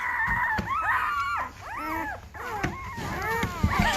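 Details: Litter of five-day-old Great Bernese puppies, Great Pyrenees crossed with Bernese Mountain Dog, giving thin arched whimpers and squeaks while people handle them indoors, with clicks and handling bumps.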